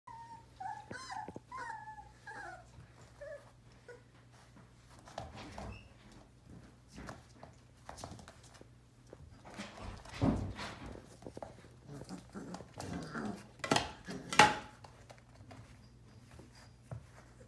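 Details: One-month-old Sheepadoodle puppy, one of three littermates born in April 2020, giving a few high, thin whimpering squeals in the first two seconds, then scattered soft clicks and shuffling noises indoors with a low steady hum.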